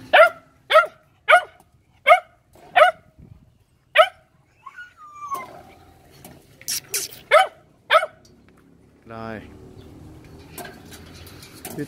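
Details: Litter of Phu Quoc Ridgeback puppies at a Saigon kennel barking in a steady run, about eight short, bright yips spaced roughly half a second apart. A brief whine follows, then handling noise and a low rumble.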